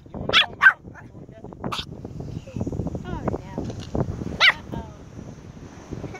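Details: Chihuahua hunting crabs gives sharp, high yapping barks: two quick ones near the start and another a few seconds later. People talk throughout the gaps.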